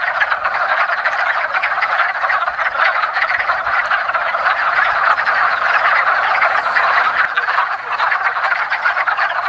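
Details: Mating wood frogs calling together in a woodland pond as spring begins; a constant mass of short, hoarse clucking croaks, dipping slightly in loudness near the end.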